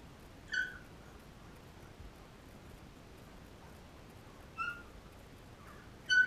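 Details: Three brief, bright squeals spaced a few seconds apart come from 13-day-old Labrador puppies while nursing on their mother Cecilia, with little else but soft room hiss between them.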